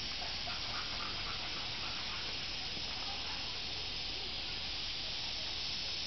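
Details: On 31 July 2007 at Maruyama Inari shrine, part of Tsurugaoka Hachimangu in Kamakura, Japan, cicadas fill the air with a steady, hissing, high-pitched drone that never pauses.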